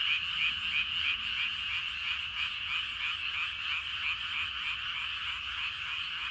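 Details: Evening chorus of numerous frogs in rice paddies, fast pulsing croaks overlapping into a continuous rhythmic din, slightly louder at the start and then steady.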